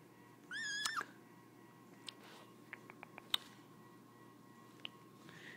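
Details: A playful baby kitten flicking its tail gives one short, high, clear meow that rises and then dips. Soft scattered clicks and taps follow in a quiet indoor room.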